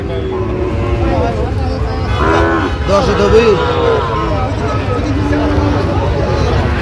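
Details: Sahiwal bull calves lowing at a Tangail, Bangladesh cattle market on 19 September 2025: a cluster of rising and falling moos midway, surrounded by dense human chatter and background engine noise.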